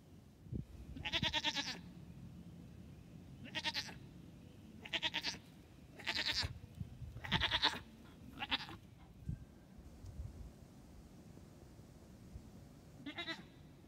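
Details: Triplet goat kids only two days old, wearing pajamas and beginning to hop while their mother keeps close watch; loud, trembling high bleats repeated in bursts of about seven calls, over low rustling noise.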